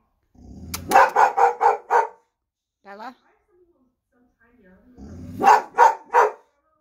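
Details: Pet Boxer dog barking to scare off a delivery van: a rapid burst of five deep, harsh barks, a short pause with a brief human voice calling, then another quick run of four barks.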